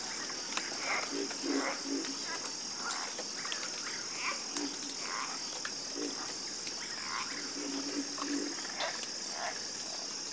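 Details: Frog chorus of scattered croaks, some in quick pairs and short rattling runs, from several animals at once, with an unbroken high insect whine behind them.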